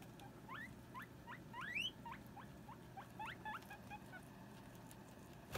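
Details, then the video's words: Guinea pig girls Sylvie and Jenny quarrel over hammock space; a string of rising squeaks, one clearly higher and louder near the middle, with fainter sweeps trailing off toward the end above a low background hum. "Guinea Pig Girl Squabble"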